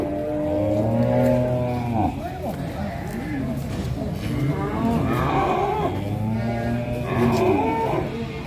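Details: Huge black cattle held in a pen in Indonesia, said to be one of the biggest around. Deep, steady lowing moos open and close the stretch, with people talking and music underneath.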